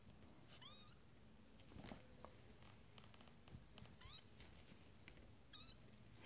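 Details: Twenty-day-old Abyssinian kittens of a first litter discovering the playpen; three thin, high, rising mews spaced about two seconds apart, quiet room with soft rustling.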